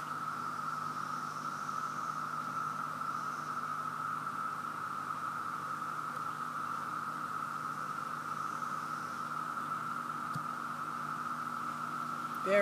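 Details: A massed chorus of cicadas in Virginia, present everywhere in overwhelming numbers, blends into an overwhelmingly loud, steady, unbroken mid-pitched drone.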